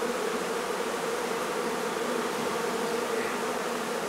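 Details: Steady, continuous droning hum of a honey bee colony disturbed during hive removal from a barn in La Feria, Texas, many bees buzzing together without pause.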